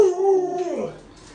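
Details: Lolo, a household Alaskan Malamute, utters a short howl that holds, wavers, then slides down and fades, indoors.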